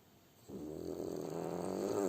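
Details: French Bulldog asleep, a snore beginning abruptly and swelling in loudness, rough and buzzy with a steady rattle, cut off before it ends.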